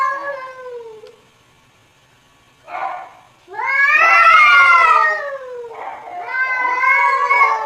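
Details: Domestic cat answering funny sounds played nearby: strained, loud, drawn-out yowling meows, one short call, then a longer harsh wail bending downward, and another rising yowl after a short pause.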